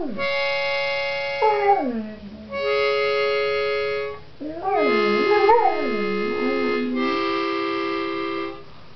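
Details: Over sustained reedy musical chords, September the Singing Dog moans for her morning bone, her favoured stimulant, with sliding falls and wavering, looping howls that rise and dip repeatedly.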